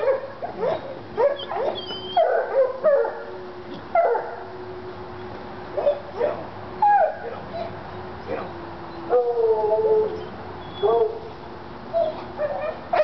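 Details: Two Treeing Walker Coonhounds, Lady and Cooper, in North Carolina, fired up on a coon skin; Cooper is recovering from being hit by a car. Scattered high yelps and whining cries, spaced irregularly about every second.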